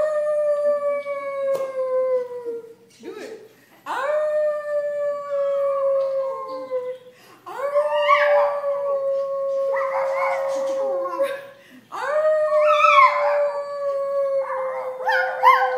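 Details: Adopted pet poodle howling on cue, a trick his owners discovered only recently; long sustained steady howls with strong harmonics, each held several seconds and sliding slightly down, four in a row with short gaps and some voices between.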